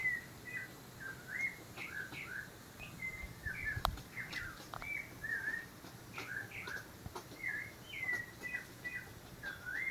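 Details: Playful squirrels in spring around midday, playing cheerfully and 'laughing' like small children; scattered short chirps and whistled notes, some rising and some falling, overlap from several animals, with a faint background hiss and one sharp click.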